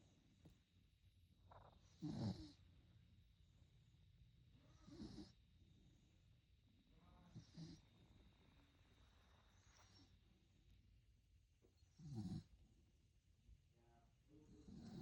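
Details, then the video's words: A sleeping puppy snoring: soft, low, rasping breaths recurring roughly every two and a half seconds, very quiet overall with a faint steady background hum. "Snoring puppy"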